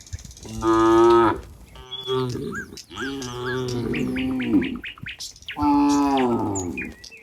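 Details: In a rural countryside scene with a herd of cows near a barn, a cow gives three long, deep moos, with small birds chirping in the background.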